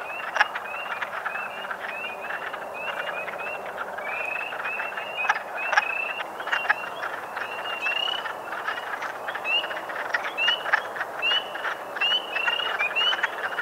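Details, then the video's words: Wood frogs in a dense breeding chorus at a pond in Parc Pointe-aux-Prairies, Montreal, on 15 April 2022, give low, duck-like clucking mating calls, with loud sharp Spring Peeper calls mixed in. "Wood Frog (Lithobates sylvaticus) - Mating and Display Calls"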